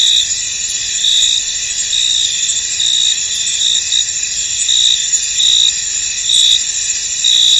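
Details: Misty-field crickets produce a continuous shrill buzz with frequent brighter chirps, roughly one per second, the layered chorus steady and free of other noises.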